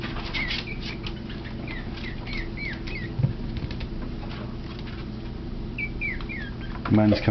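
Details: Teacup Yorkshire Terrier puppies, three littermates tussling after nursing, give thin high arched squeaks in quick clusters, a burst early and another near the six-second mark, with rustling and a person's voice entering at the end.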